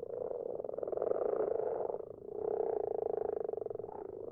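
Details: Several common frogs croak at night in a garden pond: continuous low, grinding purrs made of fast pulses, with a short dip after two seconds before the chorus resumes just as loud.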